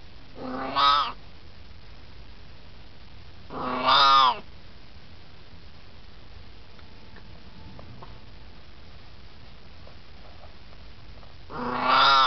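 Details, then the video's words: Elderly Siamese cat, 18 years old, hanging out and chatting indoors: three loud, drawn-out harmonic meows, each under a second long, spaced several seconds apart with quiet hiss between. "Siamese Cat Talking"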